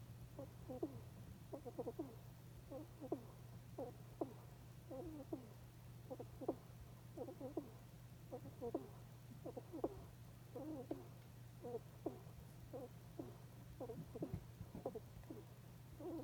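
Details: Sumiko the hedgehog, in deep sleep, breathes with a run of soft squeaky snorts, "hiko hiko". Short nasal chirps repeat steadily about every half second to a second, over a constant faint hum.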